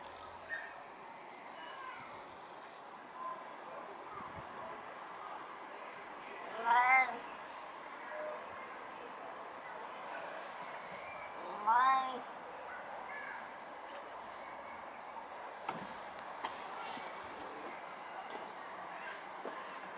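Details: A 16-year-old deaf and blind male Siamese cat in his garden gives two drawn-out, rising-then-falling meows several seconds apart over a steady background hum.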